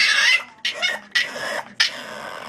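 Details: A French Bulldog that does not want to go to bed gives a run of short, breathy, grumbling barks, about four bursts in quick succession, at bedtime.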